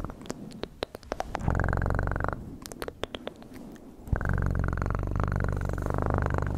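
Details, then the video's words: Cat purr, a steady low pulsing rumble that swells in twice and holds for several seconds, with scattered sharp clicks and taps in the quieter gap between. "Best PURRING sounds"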